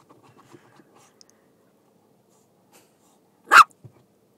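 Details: Shiba Inu puppy named Oscar, excited by ice cubes indoors: soft scuffling and small clicks, then a single loud sharp bark near the end, followed by quiet.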